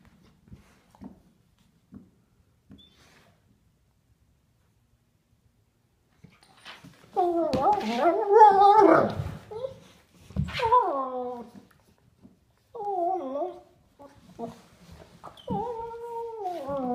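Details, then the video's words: Sable German Shepherd adult of three years playing with a nine-week-old puppy indoors; faint taps, then bursts of wavering, whiny yelps and growly cries in several groups. "German Shepherd plays with puppy"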